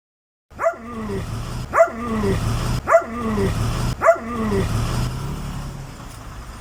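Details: A dog, possibly a Doberman though the breed is uncertain, gives four strange, ghostly yelps about once a second, each starting high and sliding down into a moan, over a low engine-like rumble.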